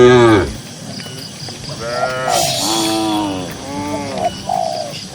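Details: Herded cattle grazing in a green rural pasture. A brief moo opens, then a quieter stretch of bellowing calls with arched harmonics follows. Light background noise and faint coo-like notes are also present.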